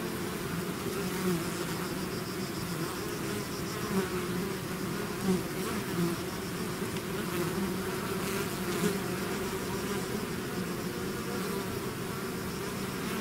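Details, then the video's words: Swarm of bees leaving the hive, steady layered buzzing with a deep hum and higher whine, occasional close fly-bys rising above the mass of wingbeats, constant level across the recording. "bees therapy swarm natural buzzing sound"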